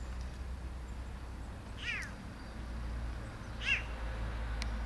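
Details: Young rescued cat, a tiny kitten abandoned by its mother and now grown six months after rescue, gives two short descending meows about two seconds apart over low steady background hum.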